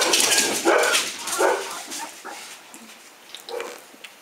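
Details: Fifteen-day-old Hungarian Vizsla pups with freshly opened eyes, starting to walk; brief harsh yelps ring out in the opening second and a half amid loud rustling, then fainter squeaks follow sparsely.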